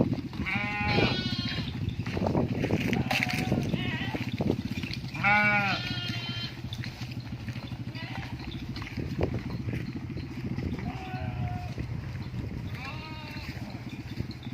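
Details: Sheep in a natural setting, bleating repeatedly: wavering, quavering bleats near one, five and a half, eleven and thirteen seconds, some overlapping as if from several animals, over a steady low rumble and scattered knocks.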